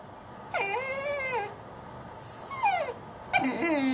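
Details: Dog done eating and ready to go outside gives three high, tonal whines, each arching up then sliding down, the last ending in a lower drawn-out moan, over faint room hiss.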